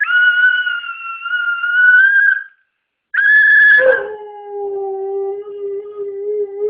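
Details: Siberian Husky howling, annoyed by a noise: a long steady high howl of over two seconds, a pause, then another high note that drops sharply into a lower, sustained wavering howl.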